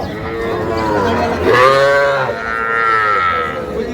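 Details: Young bull calf at a cattle market in Pabna, Bangladesh, 12 May 2025: two loud, bending moos, the first rising sharply near the middle and the second long and level, with market chatter underneath.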